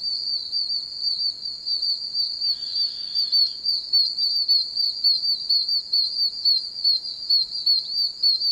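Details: Loud chorus of oak toads calling from many puddles in a wet wilderness area, a steady high whistled peeping that throbs in uneven pulses, with overlapping callers and a short faint buzzy sound early on.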